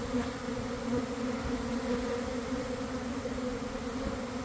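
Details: Inside a developing honey bee swarm at a garden hive, early afternoon after cold, wet days, with bees beginning to fan: a loud, constant low buzz that pulses gently in volume.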